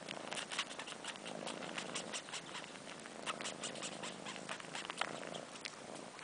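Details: Kittens aged four months, missing their mom, suckle on fur. A faint rumbling purr runs beneath rapid, irregular slurping and smacking clicks throughout.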